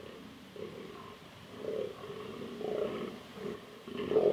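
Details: Fallow deer buck in southern Slovakia, where the species is non-native but has lived since the late 19th century, gives deep, hoarse groans in short bursts about once a second at a rutting place during the 2023 autumn rut.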